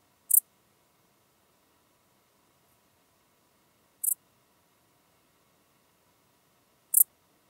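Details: Pholidoptera griseoaptera singing in Tuttlingen, Germany, October 2022: brief high-pitched chirps repeated roughly every three to four seconds, three in all, with quiet surroundings.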